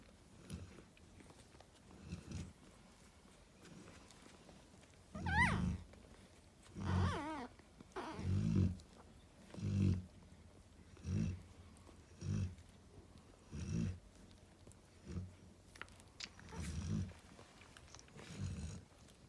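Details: Snoozing beside her babies, Narla the Cane Corso produces a long run of about a dozen low, gravelly snores, interrupted between five and seven seconds by thin, wavering high whines.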